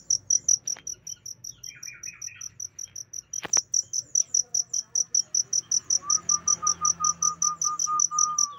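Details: Chirping cricket used as tutor audio for pet songbirds: rapid high pulses throughout, a sharp knock near the middle, soft bird twitters early and a thin whistled note late.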